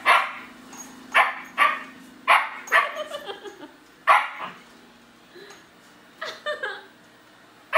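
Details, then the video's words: German Shepherd puppy barking at a robotic vacuum that scared him indoors: a run of sharp, high barks, about five loud ones in the first four seconds, then softer yips and whines, with room hum beneath. "German Shepherd puppy VS. robotic vacuum"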